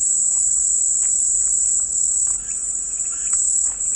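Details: Cicadas in a continuous, even, very high-pitched buzzing drone that never breaks. Faint, scattered bird-like chirps sit quietly beneath it.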